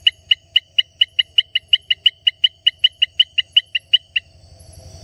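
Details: Baramica frog, Hylarana baramica, singing a rapid train of about twenty identical short clicking notes, evenly spaced roughly three per second, each sharp and high-pitched, then stopping, leaving a low hum and faint background noise.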